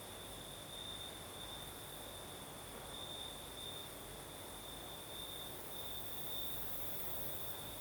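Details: Night chorus of crickets in the south of Crimea, breeze blowing; one continuous high-pitched trill holds level for the whole stretch, a few brighter swells, layered over even wind noise.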